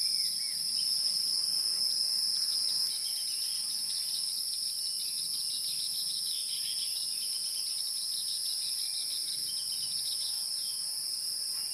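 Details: A loud high insect drone pulses rapidly at first, then settles into a softer, even, continuous trill.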